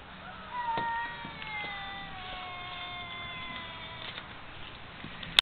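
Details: Pair of wild cats living in backyard woods, 'talking' to one another: a long, level, drawn-out meow with rich harmonics lasting several seconds, slowly sliding down in pitch, ending with a sharp click.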